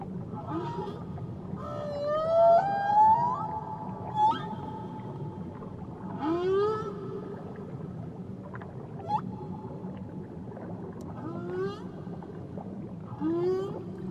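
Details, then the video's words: Whale song recorded around Tahiti: repeated rising whoops and upswept squeals in bursts, some notes held, underwater background hum throughout. "Nature Sounds Only Whales & Beaches"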